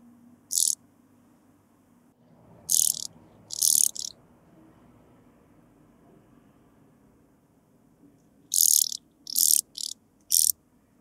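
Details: Blue-winged sand grasshopper at Bernstein, Austria, on 2 August 2023, picked up with an ultrasound detector; very high, hissing rasps of about half a second, given singly or in tight clusters of two to four, with quiet pauses between.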